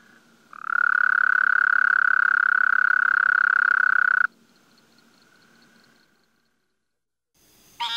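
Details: A frog's continuous pulsed trill, steady in pitch and volume, lasting about three and a half seconds before cutting off, followed by quiet and a brief fainter sound at the very end.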